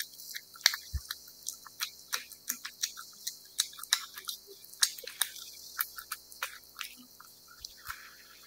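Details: A cat chewing wet food, close up: irregular wet licks and crisp smacking clicks, roughly two per second, plus one dull low bump early on against a near-silent indoor background.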